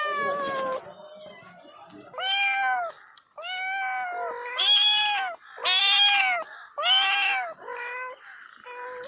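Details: A domestic cat meows repeatedly, about eight bright, arched meows roughly a second apart. Some are louder and higher, others shorter and lower, with a brief rough sound at the start.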